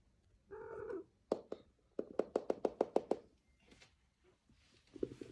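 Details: A kitten in Turkey lets out one brief, harmonic meow lasting about half a second, then a string of sharp, evenly spaced knocks and a few soft taps follow inside a small room.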